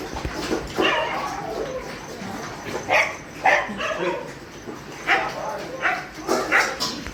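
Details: Dogs at a shelter during night feeding, barking in loud, harsh bursts that come every half second to one second, overlapping one another, with faint human voices underneath.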